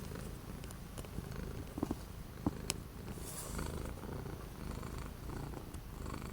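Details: Indoor orange house cat on a cold, windy 12 January 2025 purrs in a continuous deep rumble. A few brief clicks and a faint rustle break in around the middle.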